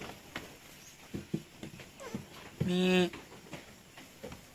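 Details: Goat kids being weaned on a farm in San Carlos City, Negros Occidental, Philippines; one short, clear, harmonic bleat stands out midway through, amid people talking and scattered knocks and thuds.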